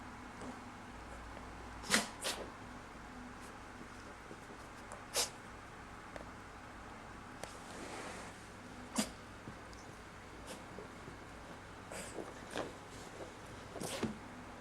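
Corgi puppies let out short, sharp sneezes every second or two against a quiet indoor hush.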